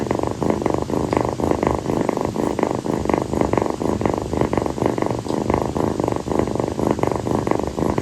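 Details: Affectionate purring from Kii, a rescued female calico kitten resting on her owner's feet after play on a hot night. The loud, rolling rumble rises and falls rhythmically on inhale and exhale, roughly twice per second.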